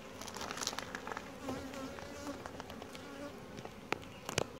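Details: Close honey bee buzzing during a calm hive inspection; individual bees pass with brief wavering tones over the colony's drone, mixed with crinkling, tapping and rustling from handling the hive.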